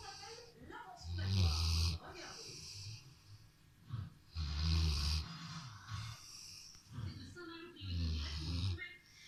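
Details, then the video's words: Rottweiler snoring while lying on a sofa: three deep, rumbling snores, each about a second long and roughly three seconds apart, with a quieter low murmur in between. "Rottweiler qui ronfle"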